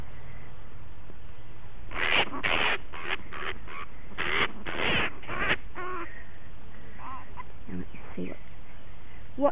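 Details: Punch, a bat with a dog puncture wound, protests while being treated after rescue from rose bushes in a suburban backyard; a run of about eight harsh, rasping screeches over three seconds, then softer chattering calls and speech.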